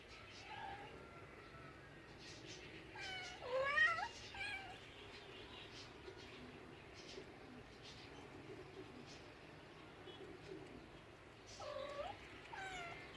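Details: Meowing house cats from a funny cats compilation: a loud, quavering meow with rich overtones near the start, long stretches of low room noise and faint voices, then a shorter meow near the end.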